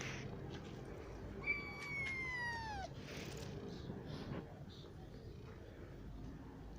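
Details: Cat in a cat shelter that houses adult, kitten and sick cats in separate sections; one drawn-out meow, falling in pitch at the end, over a steady low hum with faint background noise.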